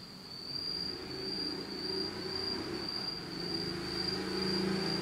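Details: Insects singing on an autumn night in Japan in total darkness: a steady, unbroken high-pitched trill holds one pitch throughout, over a low rumbling hum that swells slightly toward the end.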